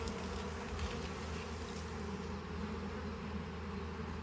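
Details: Honey bees in a hive as stuck frames are loosened for harvest: an even, low droning buzz with layered humming tones, constant in level, with a few faint clicks.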